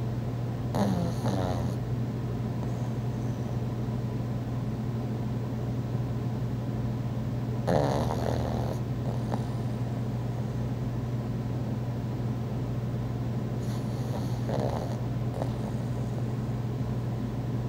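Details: Thor the pug asleep and snoring, filmed on an iPhone 4: rattling, vibrating snores come in short bursts roughly every six to seven seconds over a steady low droning hum.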